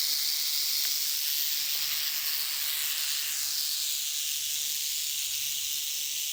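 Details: South Carolina canebrake rattlesnake sounding its rattle as a stay-away warning, a steady, harsh, high-pitched buzz that continues without pause, slightly fading toward the close.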